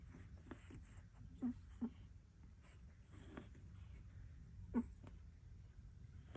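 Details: Four-week-old American Bully puppies settling for a nap after feeding, giving short soft squeaks and whimpers, one near the start, another shortly after, then two later, over a quiet indoor room hum.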